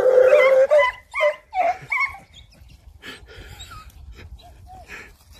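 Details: Lurcher out foxing by day, chasing foxes in the open. A drawn-out high whine, then several short, pitched yelps over about two seconds, fading into quieter rustling with a few faint, brief cries.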